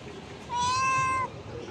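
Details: Very hungry stray mother cat gives a single drawn-out, level meow of under a second near shops, followed by a person's voice.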